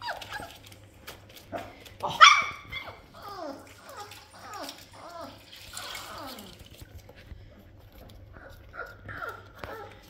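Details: Labrador Retriever puppies getting a full wash give a run of short, falling, whistly whines and squeaks in quick succession, with one louder yelp early on, over faint background hum.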